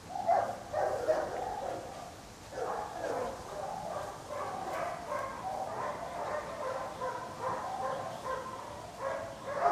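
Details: Several dogs barking together at the Loomade Hoiupaik animal shelter: a dense, overlapping chorus of rough, mid-pitched barks with no clear gaps, rising slightly louder at the very start and end.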